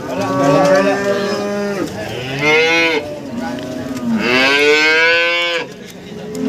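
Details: Cattle at a livestock market in Warujayeng, Nganjuk, East Java, Indonesia, where breeding cows and cows with calves are sold. Several long, loud moos rise and then fall, with short pauses between them and market murmur underneath.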